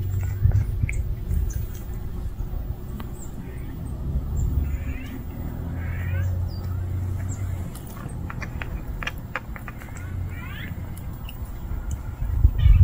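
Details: Kitten, apparently a street cat, described as unable to live without its mother: several thin, high rising meows scattered through the recording, separated by long gaps, over a low rumbling background with occasional clicks and faint chirps.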